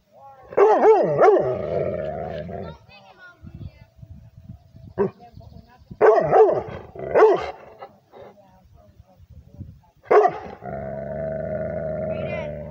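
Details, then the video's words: Liver-nosed Rhodesian Ridgeback barking at a human, with loud harsh barks in clusters of two or three separated by quieter gaps, and steady tonal droning passages in between. "Rhodesian ridgeback (Liver Nose) barking at the human"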